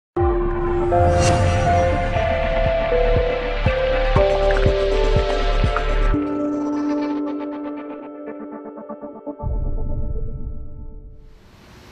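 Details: Ambient music with sustained synth tones and a throbbing low pulse, fading near the end; no animal voice.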